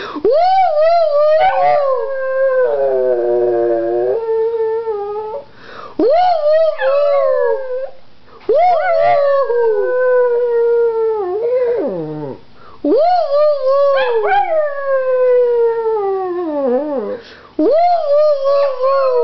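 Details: Pug dog howling indoors: long, drawn-out tonal howls that rise sharply then slide slowly downward, wavering as they fall, given in about six bouts separated by brief breaths, one with a steadier buzzy middle section.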